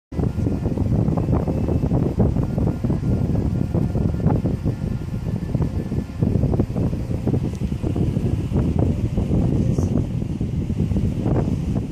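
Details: Loud, low wind-like rumble and buffeting fills the whole recording, with no animal calls heard.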